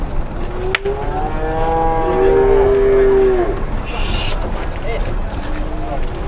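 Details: Big cattle boarding a truck at a market in Indonesia; one sustained, steady moo lasting about two seconds, with a brief hiss and background chatter.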